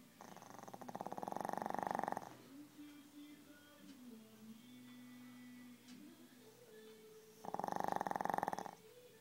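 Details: Sleeping Shih Tzu dog snoring very loudly: two rattling, pulsed snores about six seconds apart, each roughly one to two seconds long, separated by quiet breathing and faint low household hum.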